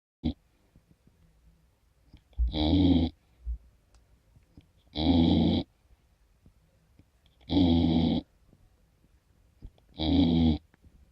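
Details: A 15-week-old Golden Retriever puppy snores in slow, even, rasping breaths, one roughly every two and a half seconds.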